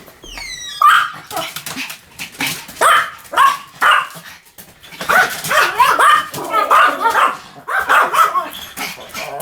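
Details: A Pomeranian barks rapidly and continuously, with high, sharp yaps tumbling over one another; a few thin descending whistle-like notes open the recording.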